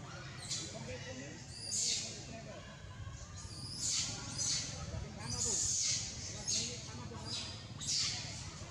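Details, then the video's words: Monkey screaming loudly after being bitten: harsh, high-pitched bursts repeated about every one to one and a half seconds, each lasting under a second, over a low background rumble. "Got biting .... It screaming loudly ."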